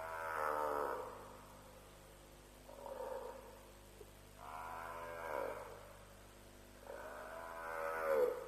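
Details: African buffalo at a lions' kill at Djuma around 3 am, 7 March 2007, on a live wildlife stream; four drawn-out, harmonic bawls, each about a second long, separated by short pauses, over a steady low hum.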